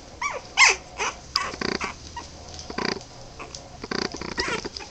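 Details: Boston Terrier puppies, 23 days old, give a litter's worth of short squeaky whimpers, one falling high whine near the start, mixed with soft broken grunts and snuffling bursts over a quiet background.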